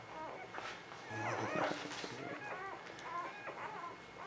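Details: Short curved whimpers and a higher squeal come from newborn puppies, spring 2017, heard alongside a person's voice and some handling noise.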